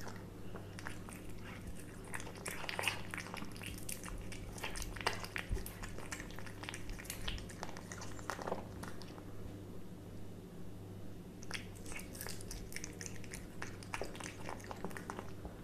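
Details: Cat eating a hamburger indoors: irregular wet chewing and biting clicks, bunched in quick bursts with short pauses, over a steady low hum.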